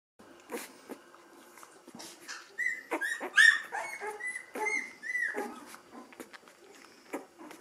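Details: Ten-day-old Gordon setter puppy, eyes already open, indoors. Thin, high, arched whines and squeaks come in quick overlapping bursts, some with bright overtones, mixed with soft snuffling and rustling.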